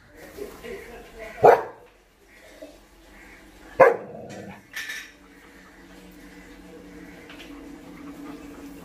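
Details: German Shepherd puppy Dollar, long-coated and almost seven months old, meets balloons for the first time; two sharp, isolated barks about two seconds apart plus a softer third, with people talking and laughing throughout.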